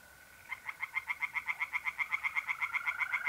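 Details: Singing tree frog at a pond in north-eastern Italy, mid-April at night, delivering a fast, steady string of roughly seventeen rasping croak pulses, about four per second, while mole crickets trill continuously underneath.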